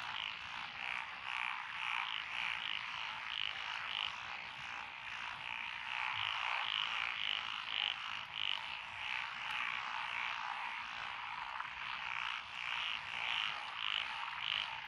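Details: A lotus paddy frog chorus recorded on a country road in Echizen, Fukui, Japan, on 12 June 2021; a constant trilling chorus with irregular bursts of bright, quick croaks swelling and fading throughout.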